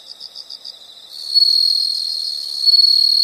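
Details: Nature-sound recording of insects: soft pulsed high chirps for about a second give way to a loud, continuous high-pitched buzzing trill that carries to the end.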